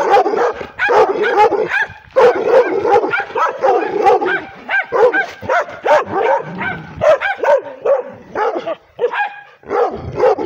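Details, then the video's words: Female pit bull mix, part Redbone Coonhound, aggressive toward the camera, barks nonstop: rapid harsh barks packed closely over ten seconds, some yelping and whining tones, only tiny breaks between bursts. "Pitbull (Redbone Coonhound mix) aggressive barking"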